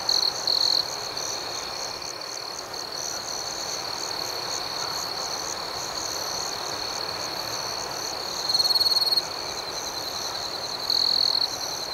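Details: Crickets chirping at night outdoors: a steady, high, shimmering trill with faster pulsing above it, broken by brief louder chirp bursts near the start, around eight and a half seconds, and near the end.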